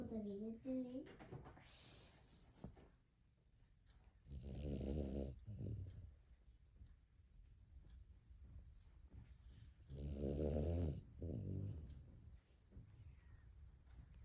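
A Cavalier King Charles Spaniel snores in loud, rasping rumbles spaced several seconds apart.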